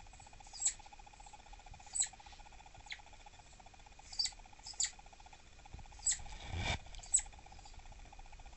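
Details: An adult female southern flying squirrel, possibly pregnant and edgy, refusing treats, gives sharp, high squeaky chirps at irregular intervals when annoyed, around 6 pm; real volume about twice as loud.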